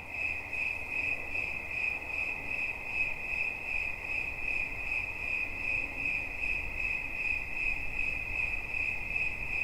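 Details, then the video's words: Cricket chirps for relaxation, sharp high pulses repeated roughly two or three times a second in a rhythmic, slightly uneven beat, with little background noise. "Świerszcz. Dźwięki relaksacyjne"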